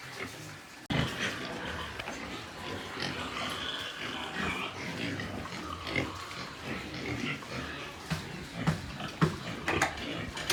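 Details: On a Nepali pig farm, white pigs grunt and snort almost continuously after a sharp knock at the start, several animals overlapping in a busy, noisy pen.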